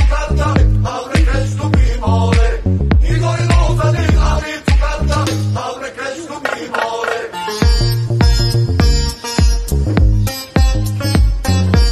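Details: Upbeat reggae-style music with a steady beat, bass and sung vocals throughout; no animal sound is heard.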